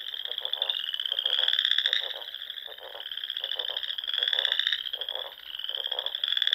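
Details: Nebraska Sandhills frogs singing on a spring evening by the ponds: overlapping shrill trills form a constant band, broken by rhythmic rattling pulses and bursts of lower croaking roughly every second.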